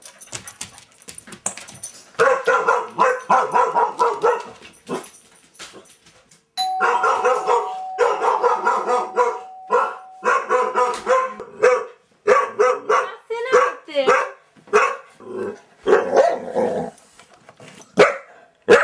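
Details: Duchess, a one-year-old Border Collie, barks in rapid, loud bursts, pausing briefly between runs of barks for nearly twenty seconds, with a steady ringing tone sounding through the middle stretch.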